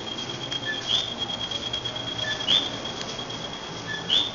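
A coqui gives its two-note 'co-qui' call, a short low note followed by a higher rising whistle.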